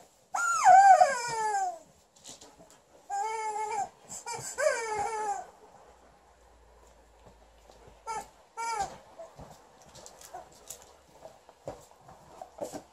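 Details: Liza, an Alaskan Malamute female, upset with her chicken toy: three loud, falling, whining howls in the first five seconds, then mostly quiet with a few faint grumbles and soft clicks.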